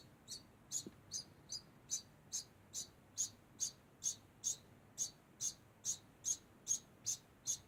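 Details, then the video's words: Degu making a constant sound: short, high, squeaky chirps repeated steadily about two to three times per second, evenly spaced and similar in loudness, over a quiet background. "Degu makes constant sound"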